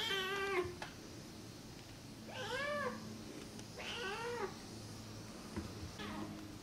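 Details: Rescued feral kitten Namba, one-eyed, meows at moderate volume: a long steady call, then two arched, downward-curving meows and a faint short one, over a low room hum.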